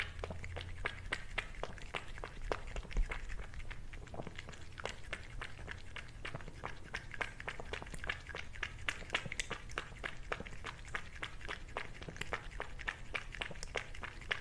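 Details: Cat chewing food at a steady pace: sharp little crunches and mouth clicks tick along for the whole stretch over a constant low hum, recorded closely for ASMR.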